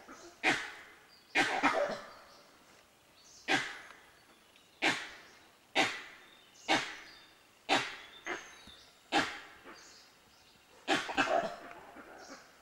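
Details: A gray langur in Bandhavgarh National Park, Madhya Pradesh, in October 2010 gives harsh, hoarse alarm barks at an unknown predator, about a dozen over thirteen seconds at roughly one per second. Peacocks call at the end.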